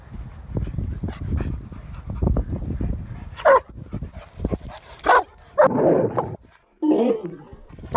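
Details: Saint Bernard at a dog park barking at Nevaeh: a run of loud, rough barks about a second apart, one coming as a quick double, after several seconds of low shuffling and scuffing noise.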